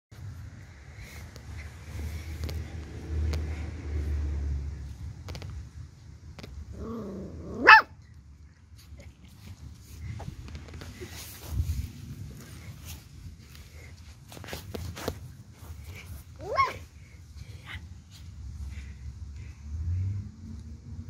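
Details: Beagle puppies at play: a sharp, high yelp near the eighth second, then a second shorter yip about nine seconds later, with soft scuffling and low rumbling background noise between them.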